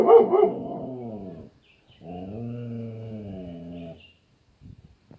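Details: Domestic dog guarding its home against people passing far away: one harsh bark flows into a long, low, steady howling moan, a brief gap, then a second sustained moan of similar pitch, ending with faint soft sounds.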